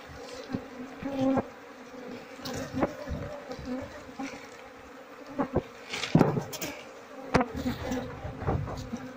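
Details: Asian honey bees from a queenless colony whose comb is filled with honey, being inspected; continuous mid-pitched droning buzz broken by repeated thumps and clicks of handling, with a man's voice just afterwards.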